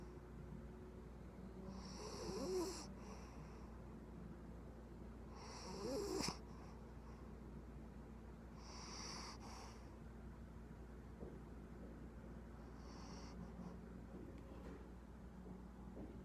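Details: Puggle puppy asleep indoors, snoring softly: quiet breathy snores roughly every three to four seconds, each a short airy rasp with a faint whistling edge, over a low steady hum.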